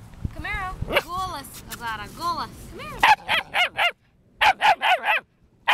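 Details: A German Shepherd puppy gives high, arching yelps, then a run of sharp, quick barks.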